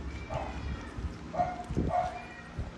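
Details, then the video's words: Stray kittens and cats meowing while being fed food: three short, mid-pitched meows, the first soft and the last two louder and close together near the end, over steady low rumbling background noise. "Feed cats and kittens meowing"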